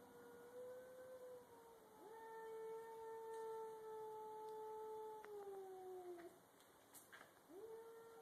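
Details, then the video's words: Two domestic cats confronting each other in a garage before a fight: faint, long, smooth yowls held steady and sliding slightly downward, with a new rising yowl near the end, over steady background hiss. "Two cats making funny yelling noises"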